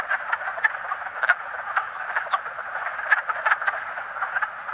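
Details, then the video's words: Wood frog chorus at a breeding vernal pool, only males calling: a steady mass of quacking croaks, with frequent clear individual quacks, some in quick pairs, rising above the dense background. "but you'll see and hear an individual frog, and their sound is like a quack or a quack,"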